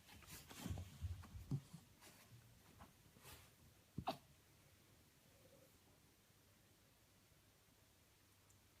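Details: An 8-week-old female Golden Retriever puppy hiccups, making soft, low, jerky little bursts spaced unevenly over several seconds.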